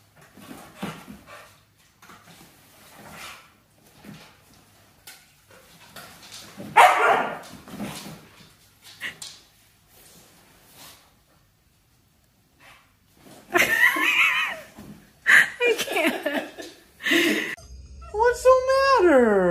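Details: Siberian Husky being dramatic, giving short, scattered, noisy barks and yips in irregular bursts, with a louder cluster near the middle and end, then a brief rising, wavering whine at the close.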